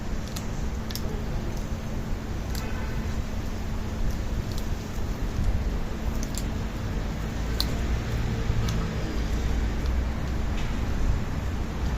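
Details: A steady low hum fills the background, with scattered faint clicks and soft rustling throughout and no animal voice.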